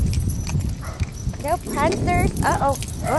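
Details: Sonic, a pet dog out on a leashed walk, barks at a big bird: a quick run of four or five short, yappy barks, each rising then dropping, over footsteps and a person talking.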